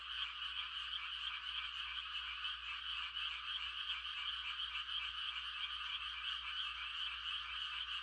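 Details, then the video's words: Night chorus of frogs in quiet farmland during rice-planting season, giving mating calls as a seamless, high, buzzing trill throughout, with a faint low steady hum underneath. "The sound of frogs on a quiet country night"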